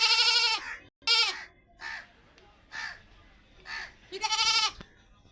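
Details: A white goat, a female, tied in a village hut, gives loud, nasal bleats, some harsh and wavering, others shorter and fainter between them.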